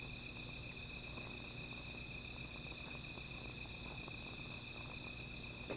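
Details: Insects calling at night beside a small fire: a steady, high, ringing trill with a pulsing shimmer above it runs without a break, over a low rumble and scattered faint crackles and ticks.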